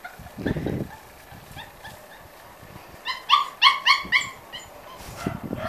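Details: Five-week-old Corgi puppies whimpering and yipping: a low burst near the start, then a run of short, high, harmonic yelps between three and four seconds, with a person talking softly around them.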